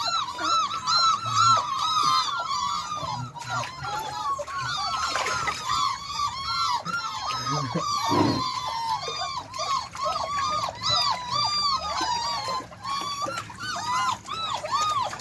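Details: Beagle puppies learning to walk in water, giving a dense, overlapping chorus of high arched whines and yelps, several per second, each call rising then falling, with faint background noise throughout.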